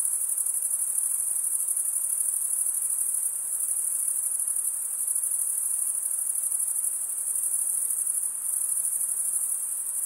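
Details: Crickets, mostly males, stridulating with serrated wing veins; an unbroken, shrill, high-pitched pulsing drone with slight swells in volume, no other animals or background sounds.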